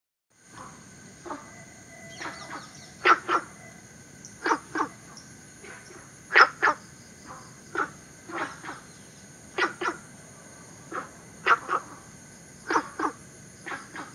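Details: Günther's frog, a southern Chinese native introduced into Singapore, giving short, harsh barking notes, often in quick pairs, every second or two over a steady high insect hum.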